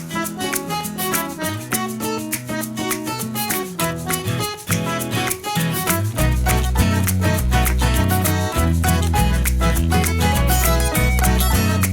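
Lively Latin-style music with strong bass, brass and rhythmic percussion plays throughout, with no animal sounds.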